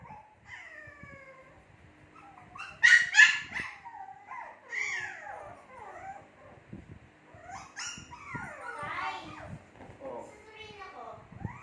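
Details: Two-month-old Shih Tzu puppies whining, with long falling and wavering whines, rapid squeaky yelps crowding together, and a sharper burst partway through.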